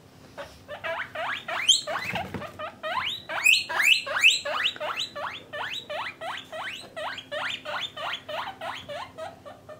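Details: Pet guinea pigs, parent and offspring housed in separate cages by sex, calling a continuous series of upward-sweeping whistled squeals roughly two to three per second, over a steady low hum.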